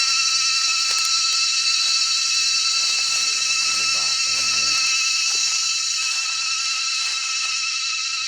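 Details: Cicada chorus in a forest on a strongly windy day: loud, continuous, ringing high buzz with layered shrill bands, pulsing slightly, some low wind gusts and a faint murmur partway through.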